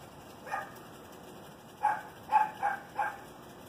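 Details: Chihuahua giving short, high, yappy barks, one alone then a quick run of four, over a steady background hiss.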